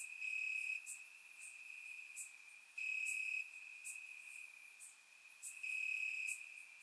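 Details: Warm summer night in Bulgaria with crickets calling from the grass: a continuous high-pitched trill with brighter pulses at intervals of roughly two and a half seconds, faint higher clicks overhead.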